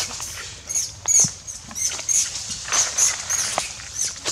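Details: Adult monkey screaming loudly, crying because its mother won't let it play with its sister; shrill, very high squeals come in short repeated bursts, about eight within four seconds, over a low background rumble.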